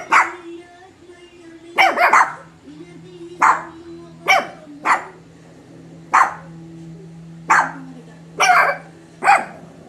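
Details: Shih Tzu mother and her puppies bark together: sharp, high barks in irregular bursts over a steady background hum.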